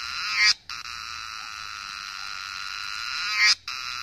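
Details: Song of cicadas in Nepal's Himalayan hills: a sustained, metallic buzz that builds to a sharp crescendo, stops for a moment, then rings on steadily for three more seconds to another peak.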